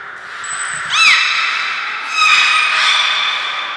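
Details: Belugas in training at Port of Nagoya Public Aquarium, whole group participating, 2 April 2023: a sharp arched chirp-whistle, then a longer, layered tonal whistle with many harmonics, over a faint steady background tone.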